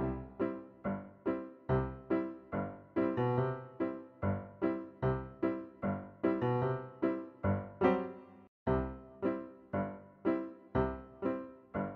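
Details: Bouncy electric piano music with evenly struck chords, roughly two to three per second and a brief gap near eight and a half seconds, with no animal voice audible.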